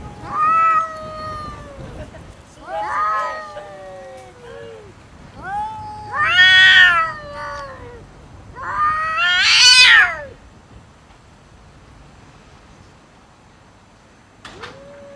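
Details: Angry domestic cats arguing and fighting about food: four loud, drawn-out yowls with wavering harmonics and falling ends, growing harsher toward the fourth, followed by a quiet stretch and a short final meow.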